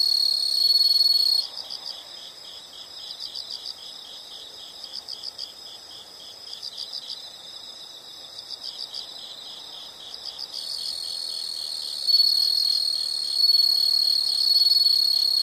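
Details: Loud continuous insect trilling opens and closes the recording; in between, high pulsed chirps come in short bursts of three or four, about every two seconds.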